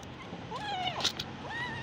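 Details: Mother cat with her kittens, taken indoors after being found near a busy road; a short rising-falling meow followed by a second upward-sliding mew, over steady background hum.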